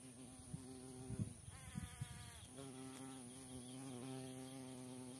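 A carpenter bee buzzes steadily, a low droning hum that wavers slightly in pitch as it flies.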